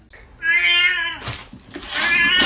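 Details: Domestic cat indoors giving a long drawn-out meow with steady harmonic tone lasting about half a second, followed by a rougher second cry; people react nearby.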